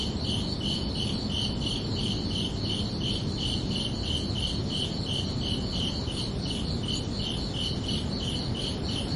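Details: Summer-night cricket chirping: high, pulsing chirps keep a regular rhythm of about three per second, continuous across the whole stretch, backed by constant low-frequency hiss and rumble.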